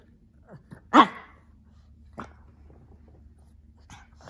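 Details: A small Shih Tzu/Pekingese dog, playful and talkative one afternoon while playing with a lion cub toy and often snorting, gives one sharp, loud bark, then a softer second yip.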